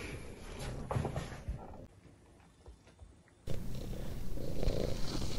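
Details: Ginger domestic cat purring loudly indoors, a low continuous rumbling throb that drops away mid-clip and returns stronger, with faint handling noise.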